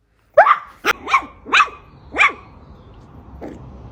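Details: A Poodle gives a run of sharp, fairly high barks, five close together and then a fainter one after a pause.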